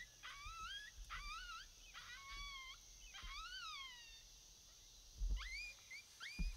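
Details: Coyote calls recorded on a predator hunt: several wavering howls that rise and then bend downward, with rich overtones and short gaps between them, followed by quicker rising yelps and low thumps of wind.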